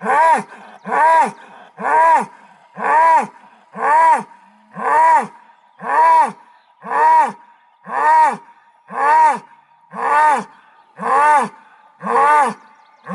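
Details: Thirteen short arched bellows from an Aubrac bull at a farm near Laguiole, La Montagnette, evenly repeated about once a second. Each is rich and nasal, with a steady rhythmic pattern and little background noise.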